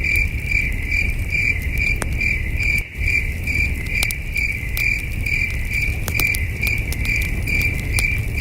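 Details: A starry camping night with crickets producing a continuous train of shrill chirps at a steady pace of about two to three per second; scattered campfire crackles and a brief hush near the middle, low hum underneath.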